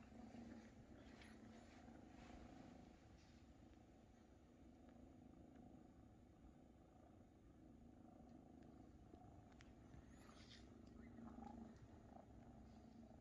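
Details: Large Maine Coon kittens being fed by their mother Luna purr intensely; a continuous, even, low rumbling purr runs the whole time with slight swells in loudness and faint clicks above.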